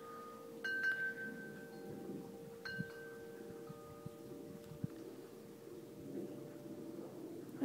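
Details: Wind chimes ring in a few bright struck tones over a steady low hum and faint outdoor background, with no animal voice heard.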